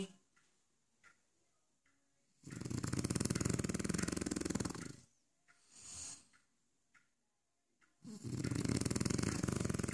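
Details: French Bulldog snoring in its dog bed: long, loud, rasping snores lasting about two and a half seconds, separated by quiet pauses, with a softer, shorter snort in between.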